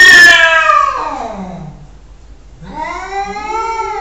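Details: Loud cat meows indoors: a strong, high opening cry that slides downward and fades, a short gap, then a second wavering meow with rich harmonics.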